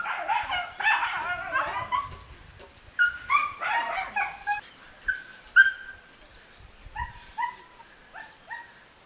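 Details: German Shepherd during a dog training session; high, tonal whines and yips in short bursts, several flat or slightly rising, with harsher bark-like onsets in the first few seconds and quieter whimpers trailing off toward the end.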